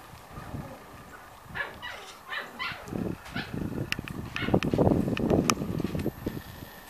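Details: Six-week-old Corgi puppies from a litter, one lying in the food bowl: several short harmonic yelps and whines rise out of scuffling and clattering, with the noise growing busier and louder toward the end.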